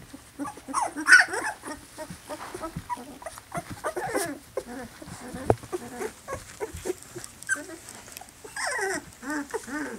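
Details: Louisiana litter of Poodle puppies slightly over two weeks old, many overlapping thin whines and squeaks forming a steady chorus, with a louder wavering cry toward the end.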